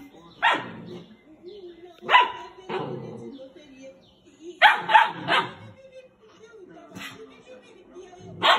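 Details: Doberman puppies fighting over a bed; scattered sharp, harsh barks and yips in uneven bursts with short gaps, some doubled, over a quiet indoor background.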